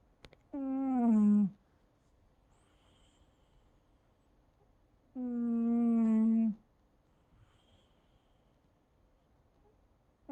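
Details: Milo, a pet cat, snoring indoors: two drawn-out, low, tonal nasal snores about a second long, roughly five seconds apart, with near silence between breaths.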